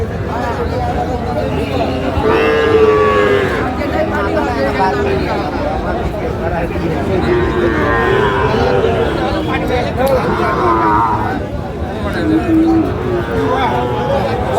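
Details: Sahiwal breed bull at Raniganj market in Barishal, Bangladesh, on 28 November 2024: a few long moaning moos, some rising then falling, set against busy crowd talk and a background hum.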